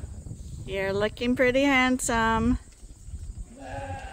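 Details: On a quiet chore day at Ewetopia Farms, a Suffolk and Poll Dorset sheep farm, one of the favourite rams Gladiator or Leonard gives a steady, nasal bleat of over a second, with a person speaking close by.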